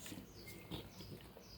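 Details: A 4-month-old Boxer puppy grunts and snorts in low, rough, pig-like bursts.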